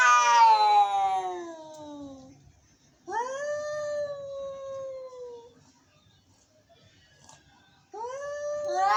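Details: Angry cats caterwauling: three long, wavering meows, the first harsh and descending, the second a rising then slowly falling wail, with quiet pauses between.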